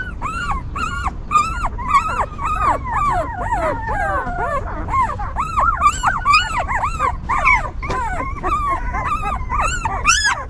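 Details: Newborn puppies of a stray mother dog, tended and kept warm by her, whimper in a dense overlapping chorus of high arched squeaks, several pups calling at once in quick succession, with a low rumbling background.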